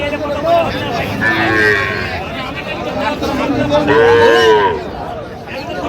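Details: Sahiwal bull calf at a busy cattle market, bought by a Comilla farmer, Bangladesh, 23 January: two drawn-out tonal moos, the second louder and rising slightly, over constant crowd chatter and men bargaining in Bengali.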